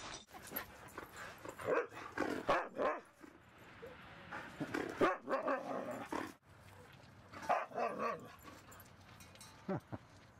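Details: Two dogs, Rosy and Rocky, romp at Seal Point Dog Park, with Rosy trying to bite Rocky's tail. Harsh, rough barks and growly bursts arrive in clusters near seconds two, five and eight over steady outdoor background noise.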